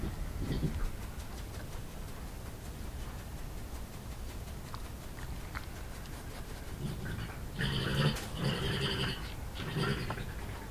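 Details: ['A young male European badger, cornered under a barn by the alpha male, in a small yard in Somerset, England, recorded by an IP camera on 20 March 2018, making a rhythmic growl. Low grunting bursts early on, then a louder run of rough grunts near the end over steady background hiss.']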